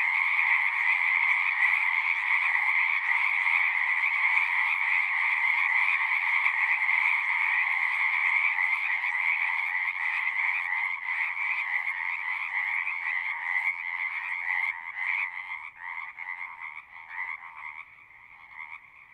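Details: Massed frog singing, a thick steady trilling chorus that thins out in the last few seconds, where separate pulsed calls start to stand out as the overall sound grows quieter.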